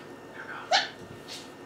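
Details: Siberian Husky puppy, one of a litter 4.5 weeks old, gives a single short, high yip with a sharp rising-then-falling squeak, followed by a faint softer whine; otherwise a quiet room.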